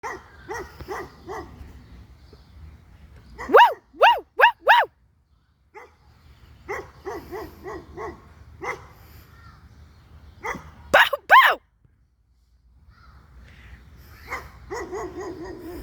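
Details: Dog barking in reaction to being recorded and to noise made at it, sharp barks in irregular bursts of three to five, with quieter barks between and a low steady hum underneath.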